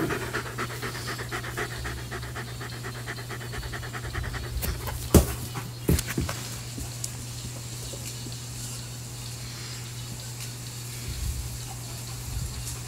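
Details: Ruger, a German Shepherd, pants steadily during play with a Jolly Ball; soft rhythmic breaths roughly eighty per minute, a sharp knock near five seconds, constant low hum throughout.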